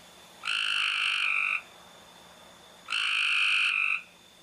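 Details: Mating call of a frog: two clear, tonal, nasal notes about a second long, separated by a pause of more than a second, each ending with a slight drop in pitch, over faint background hiss.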